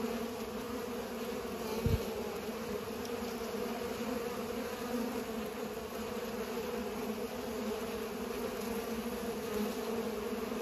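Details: Several seconds of droning from bees at work pollinating, a constant low buzz with one brief thump near the start and otherwise unbroken humming.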